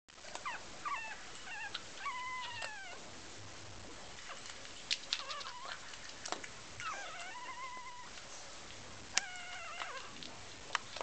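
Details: Three 15-day-old Chihuahua puppies give thin, high whines and squeaks, several short calls in quick succession.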